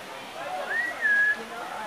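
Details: Mountain tapir at Los Angeles Zoo, a male with the fur on his back shaved, giving a clear bird-like call: one thin whistle that rises, holds level and slides slightly down, about half a second long, over a faint background murmur.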